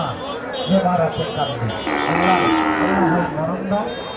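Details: Native cattle, including many calves, at a Bangladeshi livestock market in Naogaon ahead of Qurbani 2024: low, drawn-out moos overlapping one another, some swelling upward then sliding down, with background music playing.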